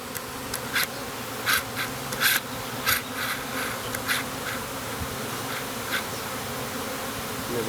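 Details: Honey bee swarm, dropped from a ginkgo tree branch about 25 feet up and marching into a hive box, fills the air with a steady, droning hum, broken by sharp crackles and close buzzes.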